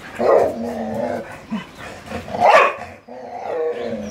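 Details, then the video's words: Dogs at play, a Siberian Husky with a Labrador: drawn-out harmonic grumbling yowls, a brief low huff, then a louder arching howl-bark before a softer wavering moan. "Play with siberian husky and Labrador หมาชวนเล่น"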